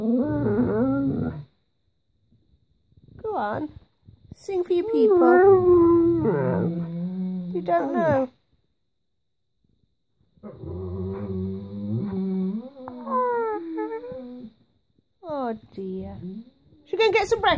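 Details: Indoor pet Alaskan Malamute and Husky demanding breakfast: bursts of warbling, talkative howls and groans in several phrases separated by pauses, interleaved with a woman urging them to sing and offering food.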